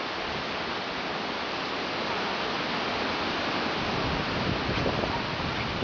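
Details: Steady broadband rushing noise, like falling water or wind, fills the whole stretch with no animal voice.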